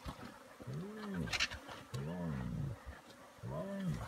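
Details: At a giraffe carcass in Singita Sabi Sands, Kruger National Park, South Africa, spotted hyenas squabble over the feast with deep, rolling growls in three roughly one-second bursts, rising then falling, between sharp vulture screeches.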